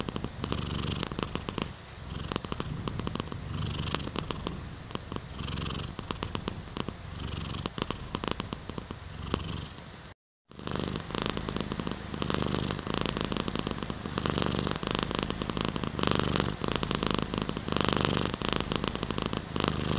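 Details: Long stretch of steady purring from a domestic cat, a coarse buzzing rumble pulsing regularly with its breaths, interrupted by a brief moment of silence about halfway through.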